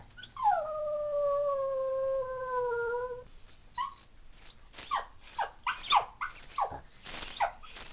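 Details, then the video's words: Female toy poodle, born 2003, howling because she misses her family after they leave the house; one steady, drawn-out howl lasting about three seconds with a slight initial drop, followed by a string of short, sharp, high whining cries. "My Adorable Dog Cries and Howls When She Misses Her Family"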